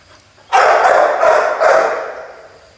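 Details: Pit Bull puppy at play letting out a loud, rough bark sequence: three or four quick, rasping yaps run together over about one and a half seconds, fading into a trailing growly tail.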